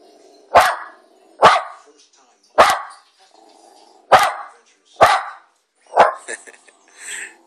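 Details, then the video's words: One-year-old Jack Russell Terrier barking at monkeys: six sharp, loud barks spaced roughly a second apart, with a faint low hum between them and a few softer rustling sounds near the end. "My Jack Russel hates monkeys"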